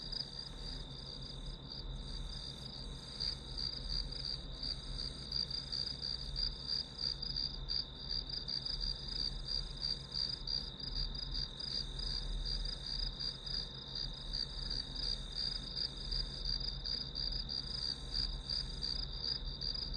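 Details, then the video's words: Grass insects calling as a backdrop for an hour of study, a steady high chirping band pulsing roughly three times a second without pause, over a constant low hum. "풀벌레 소리"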